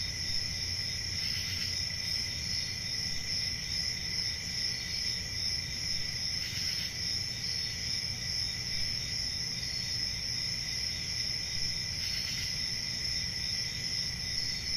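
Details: Night crickets in summer woodland, a constant shrill trilling chorus across several high pitches, with brief swells of brighter chirping roughly every five seconds above a low background rumble.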